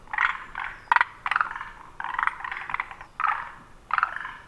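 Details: Forest green tree frogs giving short, rough, rattling croaks in quick repeated bursts, said to pulse the throat three times per call rather than simply inflating the vocal sac.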